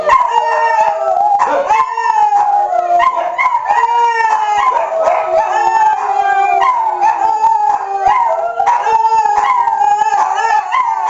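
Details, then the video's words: On the first Tuesday of the month, when tornado sirens are tested, several family dogs howl in response. One sounds coyote-like, another like a wolf pup, and a hound screams. Long overlapping wails mix with short yips over a steady siren note. "Howl Day"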